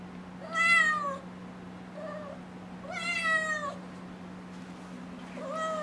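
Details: Young kitten Nala, six months old, meows repeatedly to be let outside: two loud, stretched meows with a faint short mew between, and a third starting at the end, all over a low steady hum.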